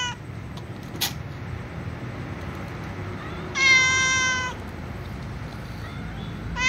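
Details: A calico cat gives a clear, nearly one-second meow, and a young white cat's meow begins at the very end, before they eat with other cats.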